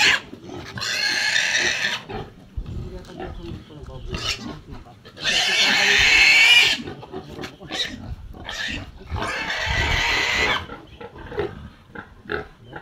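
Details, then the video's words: Native pigs raised in the Philippines, kept as farm animals and fed without commercial feed, give loud harsh squeals in long bursts around one, six and ten seconds, between lower grunting, with people talking in Filipino nearby. "Native Pig"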